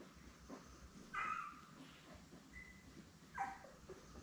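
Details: Week-old Labrador Retriever puppies from a litter of seven, born May 24, 2021, beside their mother Belle on a June 3 puppy cam: two brief high squeals about two seconds apart over a low indoor hum.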